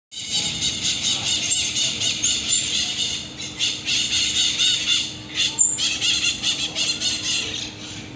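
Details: Common marmosets on the streets of Rio de Janeiro give shrill, high-pitched squeaks and twittering chirps in a dense, rapid stream.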